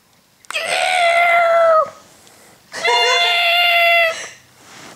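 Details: Pet cat wearing its favourite hat gives two drawn-out, rich harmonic meows, each lasting over a second and separated by a short pause; the second is slightly wavering and strained, with a quiet room in the background.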